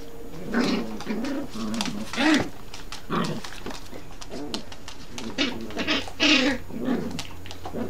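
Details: Two Yorkshire terriers, a mother and her puppy, playing together as the mother seemingly scolds her son; a series of low, throaty growling grunts in short bursts, some rising into brief whiny yelps.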